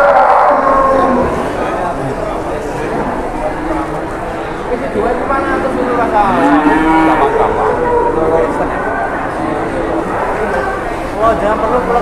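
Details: Giant cattle at the busy Jelok livestock market in Boyolali, Indonesia; a long, low moo with bending harmonics swells mid-way, other lowing beneath, over constant crowd murmur and nearby voices.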